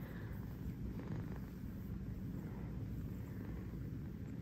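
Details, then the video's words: A kitten dozing on its fuzzy bed at home in New York gives a low, unbroken purr, a thick rhythmic rumble that swells slightly around the middle and keeps a steady pulse to the end. "a kitten purring on a fuzzy bed"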